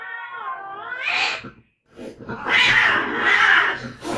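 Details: Fighting between two cats: a wavering harmonic yowl swells into a harsh scream, a brief silence, then a sustained raspy screeching outburst.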